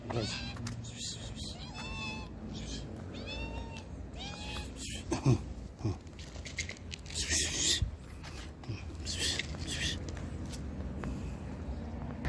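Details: Stray street cats in Morocco calling while being fed; a run of repeated arched meows in the first five seconds, then knocks, clatter and a person talking, with further faint mews later.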